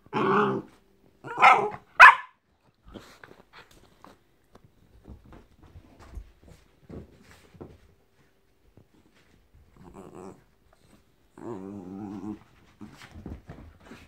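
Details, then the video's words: Jack Russell Terrier thrashing a teddy. Three loud snarling barks open, then quieter scattered huffs and thumps. Two low vibrating growls come near ten and twelve seconds, followed by a few more soft grunts. "Jack Russell Making Cute Noises & Thrashing Teddy"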